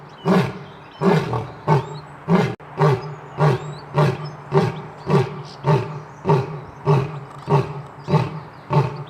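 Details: Lion producing a steady series of deep, chesty grunts, about fifteen in nine seconds, each punchy and evenly spaced, forming the grunting end of a roaring bout.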